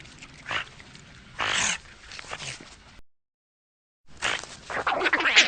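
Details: Eurasian otter calls: a couple of isolated shrill, noisy squeaks, a pause of silence, then a quicker chattering series of high whistled squeals.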